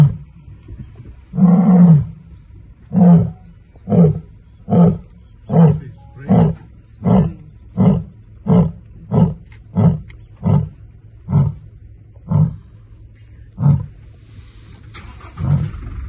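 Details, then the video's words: Lioness roaring in Kruger National Park while marking her territory, calling to another lion: a long opening roar followed by a series of deep grunting roars about once a second, slowing and fading toward the end. "Lioness marking her territory"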